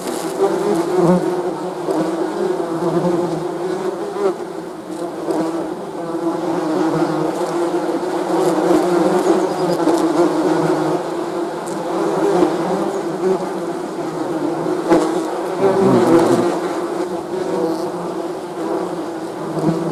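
A dense, steady hum of many honey bees, their wingbeats blending into a continuous low drone.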